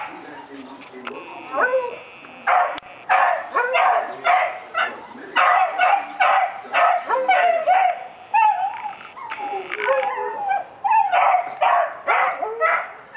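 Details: A puppy barks at a rabbit with a rapid run of high, sharp yips and barks, about one every half second for over twelve seconds, some rising into whines, with a person talking.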